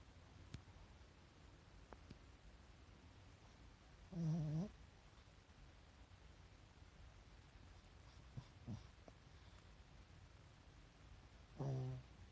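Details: A pet Pekingese asleep with the whites of its eyes visible makes two short, soft, low snores, about seven seconds apart, against a quiet background with faint small clicks.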